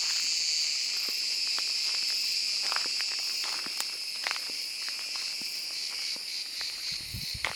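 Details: Cicada in summer woodland, singing as the day warms: a steady, dense high buzz held throughout without a break, with scattered clicks and footstep-like taps underneath.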